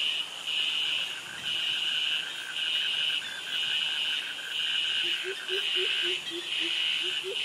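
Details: Jungle cicadas in Krabi, Thailand, among crickets: shrill, high buzzes pulse on and off roughly every second, with a quieter rapid ticking beneath and a string of soft low chirps near the end.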